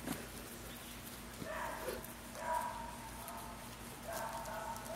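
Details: Puppies 10 1/2 weeks old, Mayla's litter, giving soft tonal whines and yelps in short bursts around the middle and end of the clip, over a steady low background hum with faint clicks.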